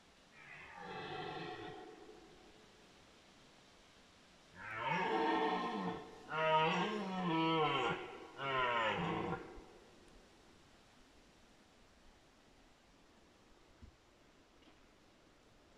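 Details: Rutting red deer in 2022 giving a series of guttural roars: one moderate bellow, a pause, then three loud, rough, powerful roars in close succession, with pitch sliding, followed by quiet background.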